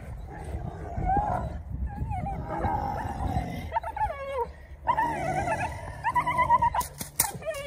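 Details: Belgian Malinois puppy during protection training; high whining, whimpering cries with wavering pitch, repeated in bursts over rustling and handling noise, with sharp clicks near the end.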